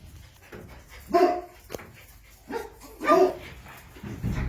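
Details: Jack Russell Terrier puppies at play, giving a few short, high yelps and squeaky whimpers spaced about a second apart, with quiet rustling between.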